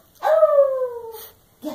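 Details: Dachshund giving a drawn-out vocal 'love you': a single smooth whining tone gliding slowly downward for about one second, followed by a brief burst of noise and the start of another call.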